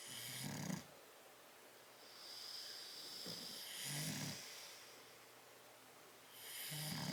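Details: Two bulldogs, Tyson and Tyra, sleeping in a crate, recorded 10/30/12; rough low snores about every three seconds, each drawn-in breath rasping with a high wheezy hiss, with quieter whistling exhales between.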